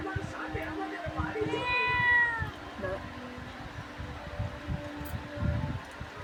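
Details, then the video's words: Household pet cat at a village home in Bangladesh giving a single drawn-out meow with a bright, wavering tone lasting about a second, surrounded by human voices and low background rumble. "আমাদের বাড়ির পোষা বিড়াল"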